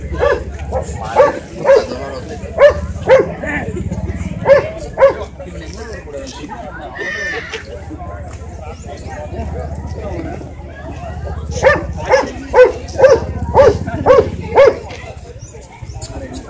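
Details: Shih Tzu barking in short bursts of sharp, repeated barks about twice a second, at the start, briefly mid-way and again near the end, with a quieter stretch of other household sound and voices in between.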